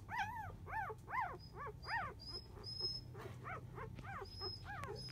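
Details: Four-day-old Labrador Retriever pups from a field-type litter, napping; clear arched whines repeated about twice a second, then quieter squeaks, over a faint low hum and soft high chirps.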